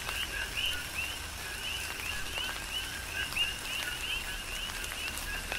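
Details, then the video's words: Coqui frogs calling during a tropical rain shower on the Big Island, Hawaii: a dense chorus of short two-note chirps, a lower 'co' then a higher rising 'qui', overlapping constantly, with broadband rain hiss and scattered raindrop clicks. "Tropical Rain & Coqui"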